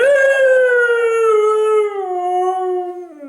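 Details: A Siberian Husky puppy, just back from the park, "talks" with a long, drawn-out howling vocalization that slowly falls in pitch.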